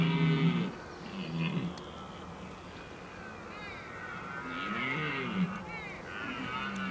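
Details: Rutting red deer in the Oostvaardersplassen, 15 October 2011. A loud, low roar opens the clip. Quieter, arching moans follow over a steady, noisy background, possibly with faint music.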